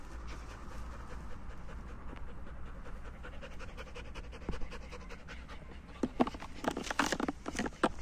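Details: A German Shepherd playing with its owner outdoors in nature pants in quick breathy bursts, with louder scuffling bursts toward the end over a steady low rumble of wind.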